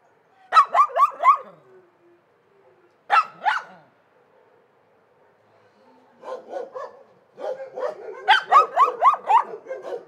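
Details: Dogs barking in rapid bursts: a fast string of four barks, a single double bark near three seconds, then a longer, busier run of overlapping barks from six seconds to the end, about four per second.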